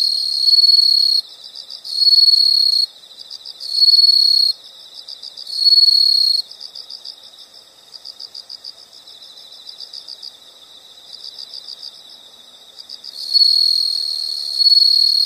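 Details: Insects calling in a relaxing nature recording: loud high buzzing trills of about a second each repeat four times, then a stretch of softer rhythmic pulsed chirping, before the loud trills return near the end.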